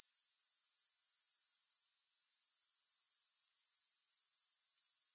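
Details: A sharp, high, evenly pulsed grasshopper chorus, free of music. It stops for a moment of near-quiet at about two seconds, then resumes its steady rapid throb to the end.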